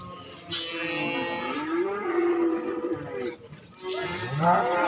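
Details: Cattle at a market in Indonesia where calves and young bulls are traded; overlapping low moos drone under steady crowd noise, with a brief dip and a short higher call near the end.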